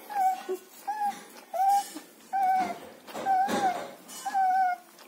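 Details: German Shepherd puppies in Chennai, offered for sale: six short whines, each under half a second, steady and slightly falling in pitch, with faint room noise between them.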